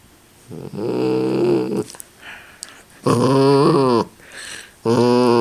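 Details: Miniature Dachshund vocalizing indoors: low, rough grumbling groans with a gravelly buzz, three drawn-out rumbling bursts separated by short pauses, some rising and falling in pitch.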